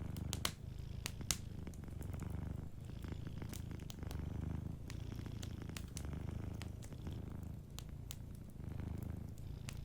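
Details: Soft purring from a sleeping cat near a crackling fire: a low, even rumble rises and falls in breath-length waves, with frequent bright snaps and ticks of burning logs throughout.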